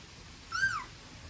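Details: Staffordshire Bull Terrier puppy, one of a litter, gives a single short high whine that rises then falls, about a third of a second long, over quiet background.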